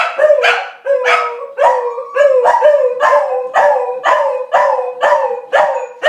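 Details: A corgi performing a trick gives repeated short yodeling howls, about two per second, imitating a siren.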